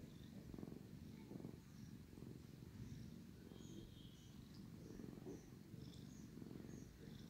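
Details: Sleepy male domestic cat purring loudly while his brother licks and cleans him; a deep, continuous rumbling purr swelling and easing about every second, with faint high soft sounds above.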